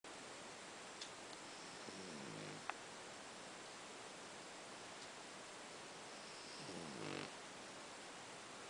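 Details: A black Pekingese dog snoring, with slow rasping breaths about every five seconds.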